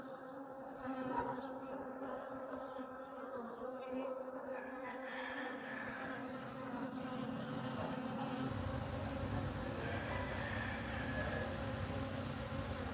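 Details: Bees in agricultural fields of Guatemala hum with a steady, low, droning buzz that stays even throughout.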